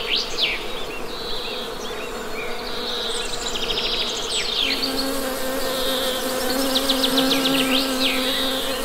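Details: Constant low humming of honey bees runs underneath a busy chorus of birds giving quick, high, rapidly repeated chirps and trills, some loud and close, outdoors in nature.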